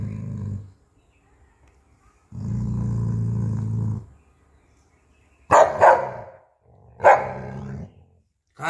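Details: Dog named Jacky protecting his bone from a person taking it: a short growl, then a longer deep growl, followed by two sharp snapping barks with growling after them; a man speaks nearby.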